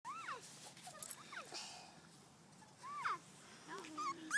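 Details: Puppies outdoors giving high, thin whimpers that rise and then fall, in short bursts repeated through the clip, with a woman's voice talking nearby.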